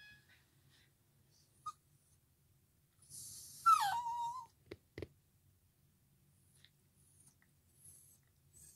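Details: A puppy gives one brief, high howl while a violin is playing, sliding downward and trailing off into a thin whine.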